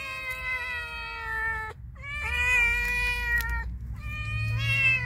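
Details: Friendly cat meowing three times in quick succession, long tonal cries with a slight upward bend at the start, broken by short gaps, over low rumbling background noise.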